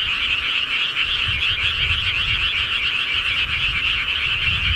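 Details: Frogs calling in the countryside at night: a dense, continuous chorus of many overlapping rapid croaks forming a steady trilling wall of sound, with a faint low rumble underneath.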